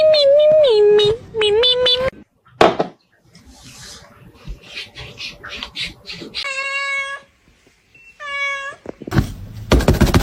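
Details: Domestic cat meowing indoors: several clear, drawn-out meows at the start, wavering and dipping in pitch, then two shorter bright meows later, separated by human speech, bumps and rustling.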